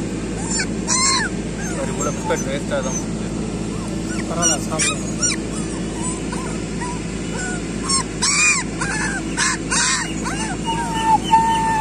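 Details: Street puppies crowding around food yelp and whine loudly in bursts, high arched cries with harsh edges, scattered throughout alongside a man talking in Tamil.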